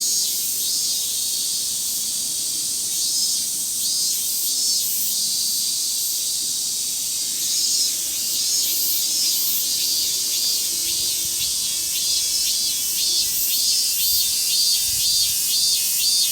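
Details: A dense chorus of Robust cicadas (Minmin-zemi, Hyalessa maculaticollis) in a summer forest, a shrill high buzzing that pulses and swells without pause.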